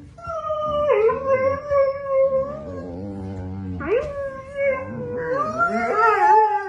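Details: Borzoi (Russian wolfhound) howling in a family "conversation", sustained wavering tones with rich harmonics that slide and dip between phrases.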